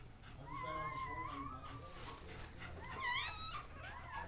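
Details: High piping whines from newborn Kuvasz puppies, three Casablanca males born October 30, 2008: a long wavering cry, then a shorter sharply arched squeal near the end, over a low background hum.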